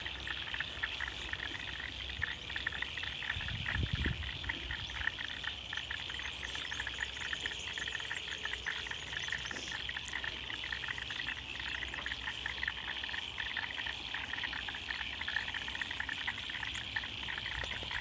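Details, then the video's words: Frogs in Australian wetlands: a calm, continuous chorus of dense, fast-pulsed calls forming a steady high shimmer throughout, fairly distant and quiet. A brief low rumble comes near the fourth second. "Calm sound of frogs & Aussie nature in the wetlands"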